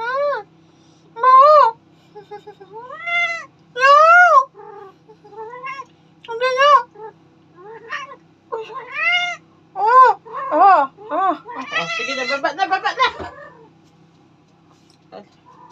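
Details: Domestic cat answering its Tagalog-speaking owner with a rapid run of short, arched meows, roughly two per second, ending in a crowded burst of chirpy calls and rustling; low background hum throughout.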